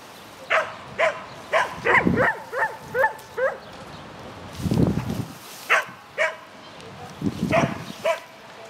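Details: Shetland Sheepdog named Lesya barking on an agility course at a spring 2016 event, 22 May 2016: a run of sharp, high yapping barks, some quick in pairs, with low thuds and muffled voices between them.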